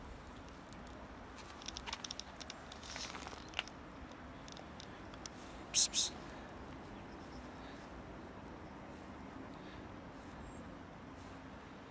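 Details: A quiet indoor room with soft crinkling, a few sharp clicks and faint background hiss, and no animal voice.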